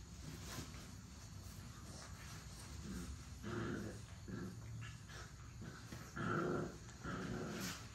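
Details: Seven-week-old puppies from one active litter playing and play-fighting, giving scattered growls and short whiny yelps in bursts, the loudest near the end, over a steady low rumble of background noise.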